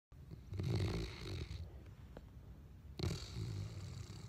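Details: A dog named Munch snoring: two drawn-out, rough, low rasping breaths, the first lasting about a second, the second beginning near three seconds in, with a faint shorter breath between them.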